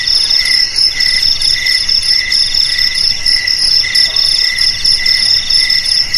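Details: Continuous shrill chirping of crickets, a high piercing tone over a pulsing lower trill that swells and dips in short regular waves.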